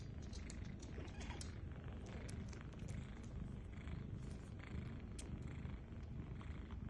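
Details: Domestic kittens feeding at their mother; a continuous deep purr underlies scattered quick sucking clicks that come in irregular bursts.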